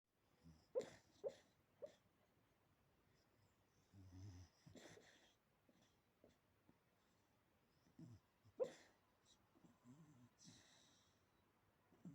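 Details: A sleeping dog snores and yaps: short sharp yips near the start and again after eight seconds, between low rasping snore breaths, indoors and quiet.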